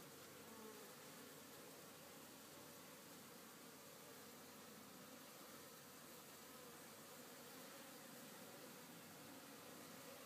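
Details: Many honey bees back at work on a farm after a rainy day of rest, heard as an unbroken wall of buzzing, a steady hum with faint passing individual whines over the drone.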